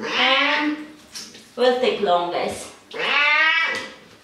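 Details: Domestic cat being bathed and having its hair trimmed in a bathroom, giving two long, drawn-out harmonic meows at the start and end, with shorter broken yowls and voice-like sounds between, in a small echoing room.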